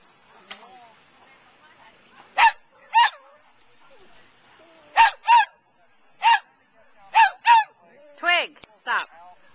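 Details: Sheep-herding dog at 2009 Wags for Wishes, barking in short pairs and singles scattered across the stretch, each bark brief and falling in pitch, with quiet gaps and faint outdoor sound between.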